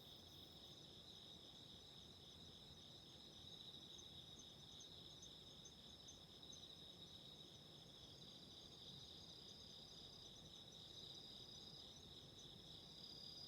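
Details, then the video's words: Steady autumn insect song for sleep and relaxation with a burning candle. High ringing bands hum on evenly for the full stretch, and a constant low crackle and rumble sits beneath. "Relaxing Candle Fire and Insects burping 癒やしのキャンドルの炎と虫の鳴き声"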